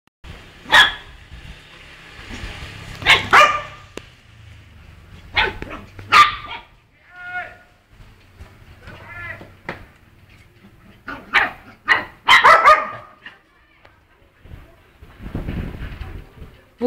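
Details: Miniature Pinscher barking in sharp, harsh bursts spread over seventeen seconds, several coming in quick pairs, with shorter tonal yelps between them and faint human voices in the background.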